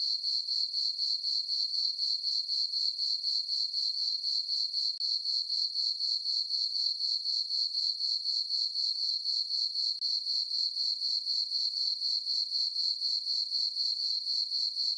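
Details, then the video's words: On a full-moon summer night in a farm meadow, crickets keep up a high, ringing chirp, pulsing steadily around four times a second for the whole stretch, with quiet surroundings. "Cricket chirping sounds for sleeping"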